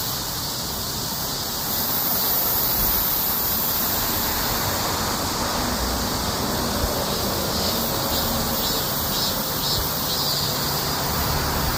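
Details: Cicadas singing during a summer heatwave. A dense, unbroken, shrill hiss fills the upper range and holds steady and loud throughout, with faint pulsing in the highest band.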